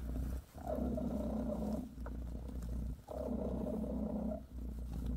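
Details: British shorthair mother cat Bassy massaging her kittens, purring in two long, strong rumbling phrases, each more than a second long, broken by a short quiet inhale.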